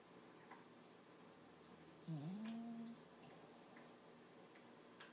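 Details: Toby, a six-month-old male Lhasa Apso puppy, sleeping and dreaming, gives one soft, whiny vocalisation under a second long that dips and then rises into a level tone. Otherwise quiet, with faint ticks and clicks.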